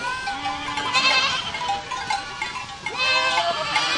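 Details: Several goats of a herd bleat at once, a long low wavering cry early on under shrill quavering voices, then a brief lull before a fresh burst of high, shaky bleating.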